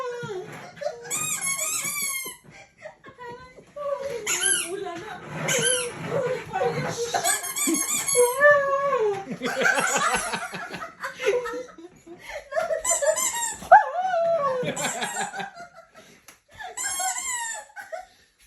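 A poodle whines and cries in wavering, rising and falling tones, with squeaky sounds around it.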